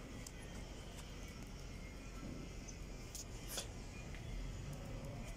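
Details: Low vehicle rumble with faint background music and a few soft clicks, possibly inside a car.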